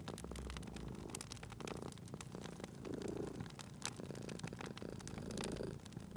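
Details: Sleeping domestic cat purring beside a crackling fireplace in a cozy spring setting; low rumbling purr swells in slow waves about every two to three seconds, overlaid by sharp pops and snaps of burning wood.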